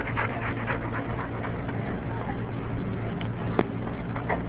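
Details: Pet pit bull, male, at play while being filmed at home; short breathy panting bursts repeat about every quarter second in the opening stretch, with faint whimpers, all over a steady low electrical hum and room noise.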